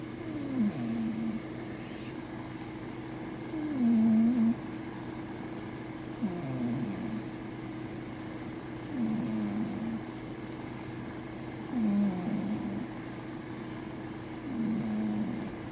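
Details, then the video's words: A sleeping Scottish Fold cat named Imotaro from Japan snores: low nasal rasps near the bottom of the range, each breath a short wavering groan, repeating about every two to three seconds over a steady background hum. "Cat Snore MAX and Sleeping / Japanese cat[Imotaro] Scottish Fold"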